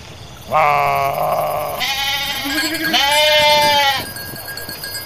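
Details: Garut sheep among dozens running in rice fields while rams rage; a loud run of three joined bleats, the first lower and buzzy, the last two higher and strongly quavering, ending abruptly after about three and a half seconds.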